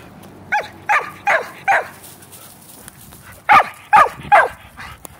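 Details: Shetland Sheepdog barking while the shelties play ball: two bursts of sharp high barks, four then three, evenly spaced about half a second apart, over low background rumble.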